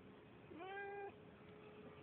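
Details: Neighbourhood cat with a bit of an attitude giving a single meow of about half a second, rising slightly then held level, clear and tonal over a quiet background hum.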